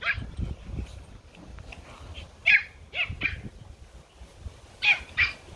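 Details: Garden play among Pomeranian puppies: bright, high-pitched yaps come in pairs, one around the start, a pair in the middle and another pair near the end, with soft scuffling between.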